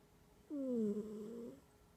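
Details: A domestic cat asleep gives a loud humming snore, a single tonal, buzzing breath lasting about a second that slides gently downward, over a quiet indoor background.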